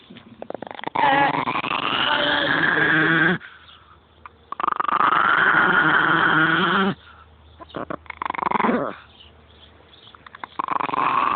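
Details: Migos, a pet dog, produces weird growling, howl-like noises: two long, loud, rough-edged wavering cries, each about two to three seconds, with quieter grumbles and short sounds between them.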